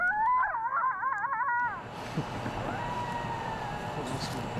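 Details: At the edge of Morningside Nature Preserve, Atlanta, an urban coyote answers a played recording with a wavering, yodeling howl that rises and falls quickly for under two seconds.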